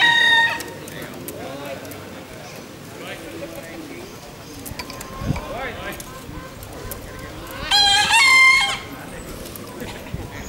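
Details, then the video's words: Bekisar at the national Pakualam Cup voice contest, Pratama class final, Yogyakarta, 3 December 2017; a crow ends at the start, then after quieter murmur and distant calls a loud, shrill two-part crow rings out. "SENI SUARA ALAM AYAM BEKISAR"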